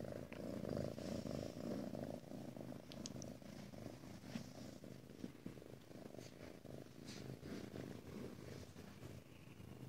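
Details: Female Ragdoll kitten at a home cattery in central Kansas, resting alone: a steady, low rumbling purr runs throughout, pulsing rapidly with soft breathing swells, while faint rustles and small clicks sound in a quiet room.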